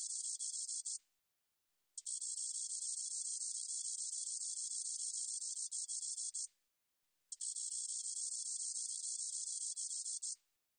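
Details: Spotted katydid (점박이쌕쌔기) recorded in 2020 by Korea's National Institute of Biological Resources: a high, dry, hissing buzz in long unbroken bursts of about one, four and three seconds, separated by short silent gaps.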